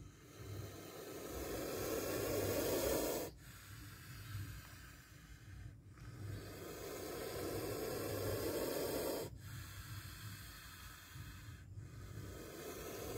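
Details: Spectacled cobra giving repeated forceful hisses during a near bite: each breathy rush lasts two to three seconds, then cuts off abruptly, with a faint low hum underneath.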